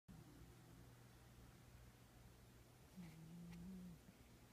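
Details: Manx cat snoring in a very deep sleep indoors; a low steady rumble throughout, with one louder drawn-out breath near the end, faint and close.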